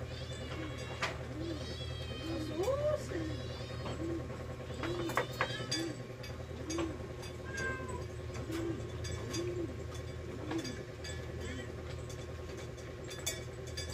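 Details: Rescued domestic cats at mealtime, eating, giving a run of short, soft mews about once a second, with a person talking in Tagalog and a steady low hum behind.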